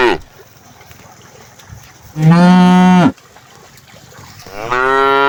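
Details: Herd of cows, thirsty in hot weather, with one cow giving a loud, steady, nasal moo of about a second, then a second rising moo starting near the end, over quiet background noise.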